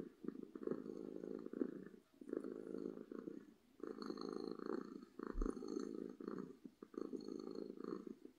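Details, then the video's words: Happy domestic cat purring loudly in repeated rumbling pulses, each lasting about a second with short pauses between for breath, with faint high tonal hums in the background. "Cat Purring from Happiness"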